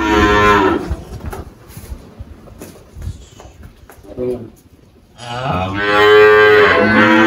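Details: Malhada, an 18-year-old spotted Girolando dairy cow on a farm in Anápolis, Goiás, Brazil, recently calved, recorded 1 March 2023: a brief moo, a quiet gap, then a long, loud, rich bellow lasting about two seconds.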